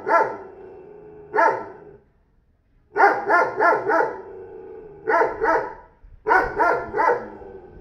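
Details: A neighbour's newly bought 40 kg dog gives deep, repeated barks, a single bark followed by runs of three or four quick barks, with brief silences between bursts.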